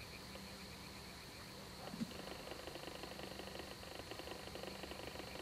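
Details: Balkan spadefoot, subspecies Pelobates balcanicus balcanicus, a rare Greek amphibian: a fast series of short broadband knocking pulses repeats steadily through the second half, over a constant high whine and a low steady hum.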